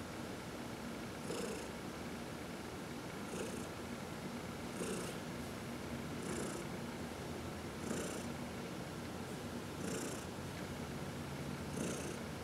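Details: Pet cat purring during a massage at home, one of four cats; continuous low purr broken by soft airy pulses about every one and a half to two seconds.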